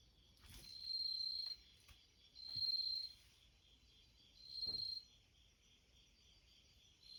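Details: Bell cricket singing outside a screen door beside a house entrance: bright, ringing high trills about a second long, repeated roughly every two seconds over a steady background insect hum, with a few soft clicks.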